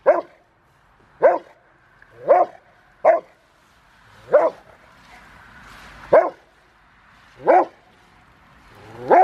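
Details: Bite-training session with five-year-old Rottweiler River v Schwarzerwald, January 20, 2020, before a February 16 ZTP trial; a steady series of eight clipped, loud barks at slightly irregular one-second intervals.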